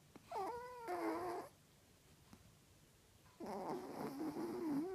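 A Yorkshire Terrier snores with a whistly, moaning quality, each breath a tonal, wobbling drone. Two long snores come about three seconds apart, with quiet breathing between.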